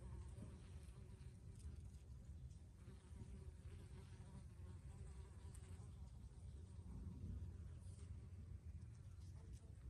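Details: Bees in basil blossom hum in a low, steady drone that swells and fades as they pass close.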